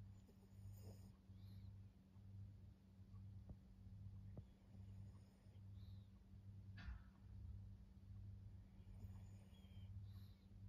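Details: Maria, a fourteen-year-old fawn female senior Pug in Japan, recorded in October 2024, snores in low, rumbling pulses that repeat a little faster than once a second over a steady low hum, with a few faint clicks.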